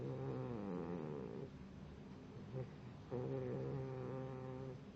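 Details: Pit bull puppy asleep and snoring: drawn-out, buzzy, tonal breaths with rattling harmonics, one long rasp then a pause and another, in a quiet room.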